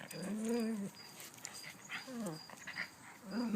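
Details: Puppies playing tug of war with a duck toy one morning, taught by their mother and father dogs; two drawn-out whining, growly whimpers, each under a second and bending up then down, with a woman's voice nearby.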